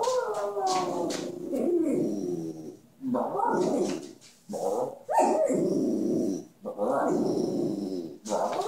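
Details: A pet dog said to be talking: long, wavering, voice-like howls and grumbles in several drawn-out phrases with short silent gaps, rising and falling in pitch.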